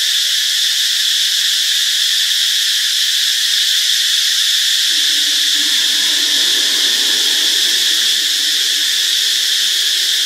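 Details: Cicada in Ubon Ratchathani, Thailand, on Friday, March 26: a loud, unbroken high buzzing drone holds steady throughout, with a soft lower murmur joining in from about halfway.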